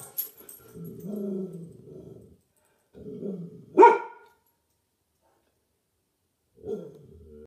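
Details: Domestic dog: low rumbling growls lasting over a second, a sharp sudden bark near four seconds, then a final short growl; the bark spooks another dog, a pit bull, in the household.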